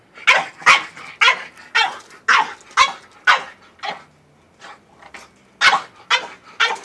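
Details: French bulldog going crazy over a goat, barking excitedly in a fast series of sharp, bright barks about two per second with a brief lull midway.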